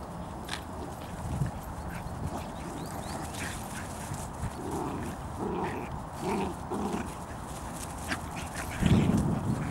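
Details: Bedlington Terriers from the Airy Step kennel, the mother Leya (Айрис Блю Искра) with her puppies out on a walk; a run of short, soft, repeated vocal bursts midway, then a louder one near the end, over steady outdoor background noise.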